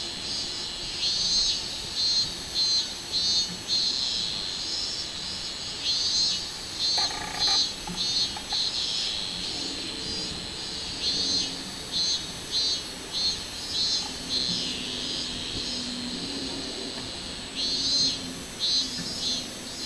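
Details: Robust cicada (minminzemi), 24 July 2016, a sustained high metallic buzz broken into rhythmic throbbing pulses, repeated steadily throughout, with a short lower-pitched interjection partway through and faint background noise.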